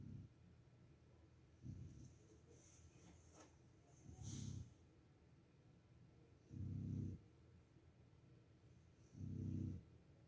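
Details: A Boxer puppy snoring in its sleep: deep, grumbling low snores repeat roughly every two and a half seconds, with faint breathy hiss between them.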